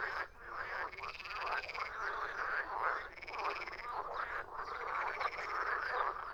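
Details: Several frogs croak together, raspy pulsed calls overlapping into a steady chorus that swells and briefly drops in loudness every second or two.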